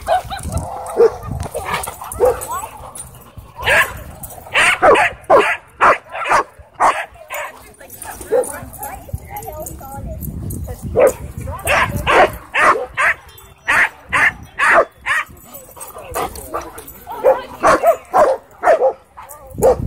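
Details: Doberman and Belgian Malinois fighting at a dog park while an e-collar correction is applied; sharp barks come in rapid, uneven bursts, with human voices talking throughout.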